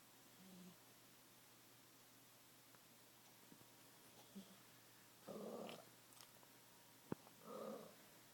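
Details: Loud snoring from a sleeping cat: two rough, raspy breathy bursts about two seconds apart, with faint earlier snores and a brief sharp tap between them.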